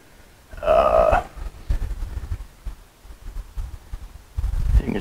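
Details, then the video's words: A male German Shepherd in a truck cab gives a brief, high, tonal whine, wanting attention and affection, against low rumbling and a man's voice. "You can hear my German Shepherd whining in the background."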